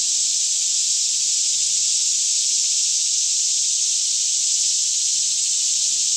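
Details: Daytime chorus of many cicadas singing all around in a green forest near Franklin, Kentucky, about 10am with still air; one continuous shrill buzzing wash with no breaks, with a soft low droning hum in the background.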